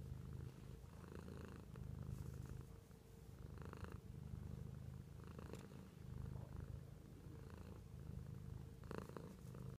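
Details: A pet cat purrs in a continuous, rhythmic low rumble with soft breathing swells, broken by scattered light taps and rustling and one sharper knock near the end.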